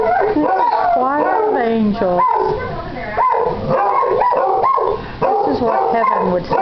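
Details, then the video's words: Two Basset Hounds in a morning howling match, one an almost eight-month-old male that still sounds like a pup; overlapping wavering howls and yips rise and fall continuously, with bark-like bursts between drawn-out notes. "One HOWL of a GOOD TIME!"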